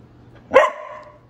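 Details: Golden Retriever puppy giving a single short, sharp bark that quickly trails into a fading tonal whine, with a faint low hum behind it.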